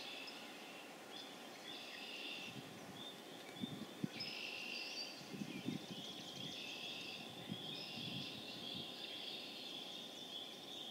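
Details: Massed spring peepers (Pseudacris crucifer) in Harvard, Massachusetts, on April 27, 2011, building toward a crescendo; overlapping shrill peeps ring continuously while low dull thumps and knocks sound beneath them in the middle.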